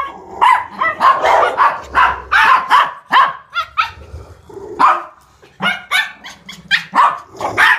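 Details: Toy Poodle at a dog daycare and home boarding, barking in rapid sharp bursts, several yaps per second with short pauses, loud and close, the barks clustering in quick runs across the recording.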